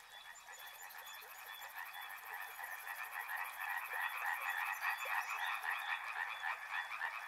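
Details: River frogs croaking together in a thick chorus that grows louder midway, rapid pulsed calls repeating about three times a second, while a high, evenly ticking insect trill sounds above for most of the clip.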